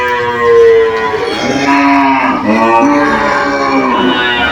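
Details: Several cows in a pen moo loudly, answering each other with drawn-out, harmonic calls that overlap one after another.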